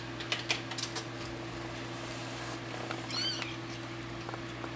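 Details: Two-week-old kittens playing indoors; one short, thin, high mew rises and falls near the end, after a few soft clicks and taps, over a steady low electrical hum.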